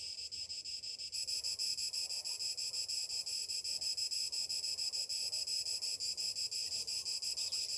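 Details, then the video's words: Morning chorus of summer cicadas, a shrill high drone that swells louder after the first second and then pulses evenly, roughly three beats per second, over soft low background noise. "Morning summer cicadas sounds"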